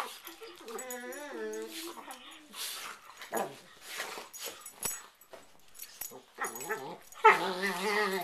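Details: Two pet dogs playfighting on a bed at night before sleep, a play ritual of growling, snarling and whining; wavering, rising and falling whines in the first seconds, then broken growly bursts and a louder snarl near the end, indoors.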